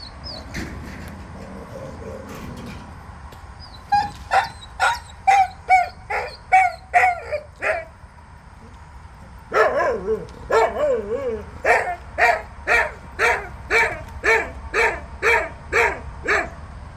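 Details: Jindo dogs on a Thursday morning after rain. A series of about eight clipped, sharp barks comes roughly twice a second and stops. After a short pause a longer steady run of about fifteen similar barks follows at the same brisk pace.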